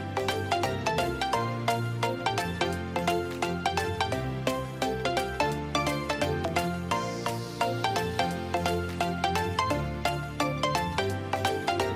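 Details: Upbeat music with steady plucked and percussive notes plays throughout, with no animal sound present.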